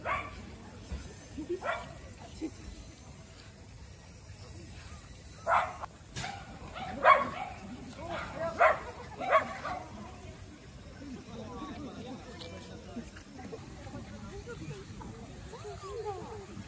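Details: Shetland sheepdog playing at an outdoor dog run with shade and a cold spring-fed pond, on a hot late-summer day, 1 September 2023: four sharp, short barks in the middle, roughly a second apart, over soft people's chatter and outdoor hum.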